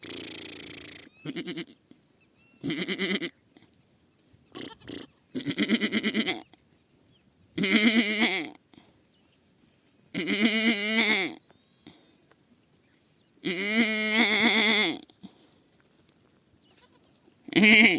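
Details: A kid goat bleats repeatedly in low, rough, trembling calls about every two seconds. The calls grow longer and louder toward the middle and end, with brief taps between them.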